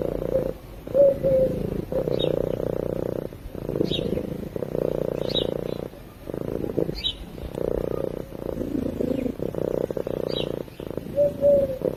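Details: Cat purring while asleep, a low buzzing rumble rising and falling in breaths of one to two seconds, separated by short quiet gaps, with faint soft whistly squeaks at the start and end.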